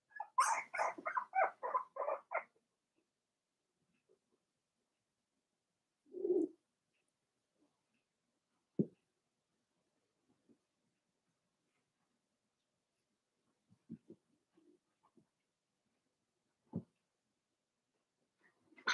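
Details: A rapid run of about ten high yaps opens this recording of Daisy's four-week-old Cavalier King Charles Spaniel puppies in their pen. A long hush follows, broken only by a few faint grunts and soft squeaks.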